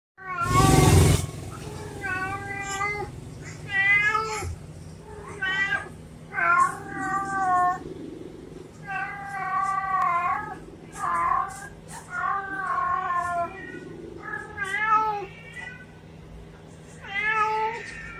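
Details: Domestic cat meowing repeatedly, a string of about ten harmonic meows, some wavering and drawn out, others short, spaced roughly one to two seconds apart; a sharp broadband knock at the very start and a faint steady low hum underneath.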